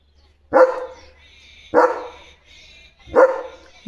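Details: Three deep, loud single barks from a pet German Shepherd at home, spaced over a second apart, each sharp and rough with a brief fall-off, reacting to something passing outside.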